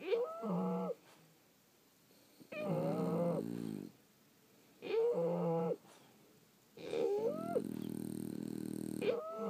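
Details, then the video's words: Several French Bulldogs sleeping indoors, snoring in breathy bursts about a second long. Each snore carries wavering nasal whistles and whiny tones over a rough low rumble, separated by quiet pauses of one to two seconds. "Snoring French Bulldogs"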